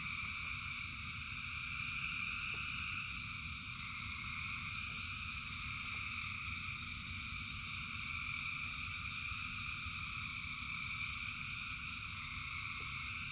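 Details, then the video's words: A massed frog chorus, thousands singing during rain, keeps up an even, throbbing trill in several stacked bands for the whole stretch, backed by a dense low patter and rumble of rain. "Frogs in Rain 2 Hours of Frogs, Thousands of Frogs Singing"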